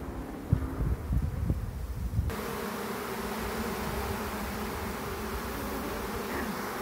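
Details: A honey bee swarm, calm and friendly, being caught from a tree branch into a box and small hive, gives a dense, steady, low buzzing hum with a few knocks and handling thumps; swarming is how bees start a new colony.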